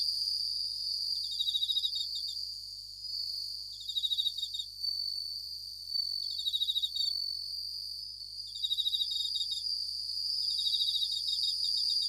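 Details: At night, a Japanese bell cricket (suzumushi) sings bright, high ringing trills, each burst repeated every couple of seconds.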